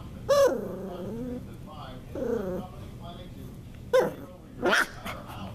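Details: Norwich Terrier puppy at play gives a drawn-out whine that falls then levels off, a shorter second whine, then two sharp yelps and a faint growl, with quiet background hum.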